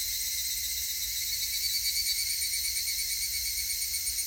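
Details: Higurashi cicada calls from 19 August 2018 form a continuous high shrill wall of sound, layered ringing tones with a slight flutter, steady from start to finish.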